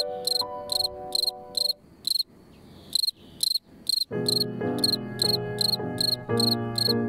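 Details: A male cricket from a yard accompanies a piano piece. Its rhythm drifts against the music. High, crisp chirp pulses come in bursts, about two per second. The pulses pause and resume, alone at first, then over piano chords.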